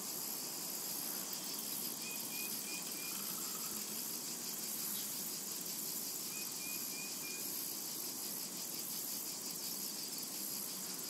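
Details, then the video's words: Meadow cicadas on a summer day keep up a flat, ringing high-pitched whine throughout, with low ambient rumble underneath and short, faint bird whistles near the start and again later. "A Tranquil Summer Meadow | Summertime and Cicada Ambience to Relax to"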